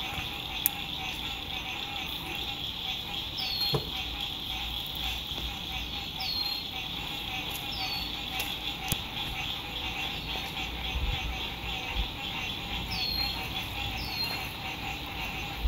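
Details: Spring 2021 lakeside camping at sunset: frogs keep up a thick, pulsing trill while falling whistle notes recur every second or two, with scattered clicks and a low road-noise rumble.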